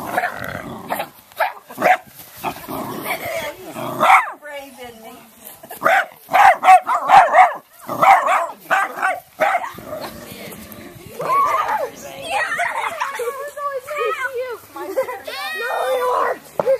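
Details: Miniature dachshund indoors, teased in play by a man and seeming to enjoy it, gives bursts of short sharp barks and whiny, wavering yelps, mixed with the man's taunting speech throughout.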